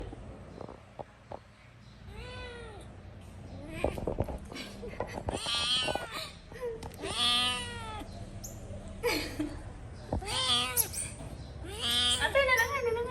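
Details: Domestic cat screaming: drawn-out, arching meows roughly every one to two seconds, five loud calls with rising then falling pitch, mixed with people talking, clicks and thumps in the background.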